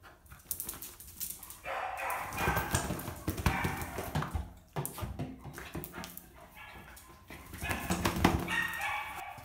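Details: Boston Terrier up for adoption, said to sing at doorbells or loud noises: a run of rough, irregular barks and yips in bursts, some drawn into short whining tones, in an indoor room.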